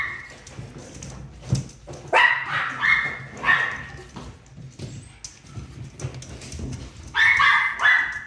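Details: Miniature pinscher barking indoors: sharp, high yapping barks in short bursts, with a cluster around two to four seconds and another near seven seconds, separated by quieter gaps and a low background hum.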